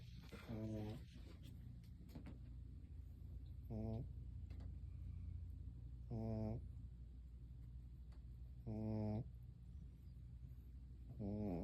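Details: Sleeping dog snoring like a human: deep, throaty snores with a low, buzzing rasp, each about half a second long, repeating every two to three seconds over a steady low hum of background noise.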